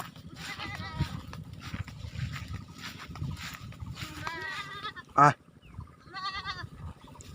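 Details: Goats on a goat farm giving several short, quavering bleats, one early and others toward the end, with faint talk, background hiss and a sharp knock near the end.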